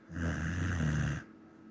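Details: One long, deep snore from a sleeping Samoyed, about a second of throaty, vibrating rumble with rich harmonics, then quiet.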